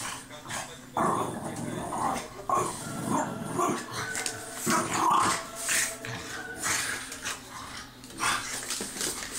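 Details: French Bulldog on an October morning, giving short nasal whining and grunting bursts at irregular intervals, some rising slightly in pitch, with human speech and household noise in the background.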